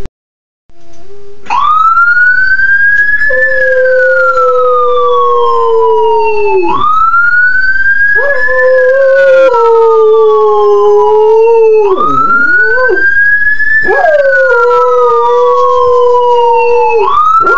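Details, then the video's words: A dog howls at a passing ambulance siren; the siren's loud wail rises and falls in long repeated sweeps, with the dog's lower, steady drawn-out howl running beneath it. "Dog howling at ambulance siren"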